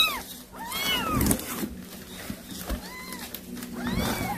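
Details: Domestic cat that brought a mouse to feed its kittens, calling kittens: a few arched, harmonic meows rising then falling, spaced over four seconds, over a steady low hum and faint room noise.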